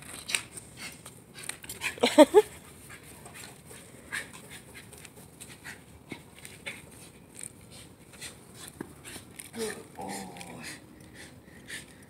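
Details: A male Shiba Inu, very excited, gives a quick burst of sharp, excited yips, then a wavering whine, amid human chatter.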